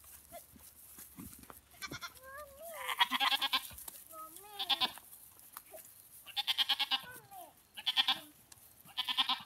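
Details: Several quavering, tremulous goat bleats, each about half a second long, sound from a goat being played with by a girl, alongside brief sliding higher-pitched vocal sounds and faint background noise.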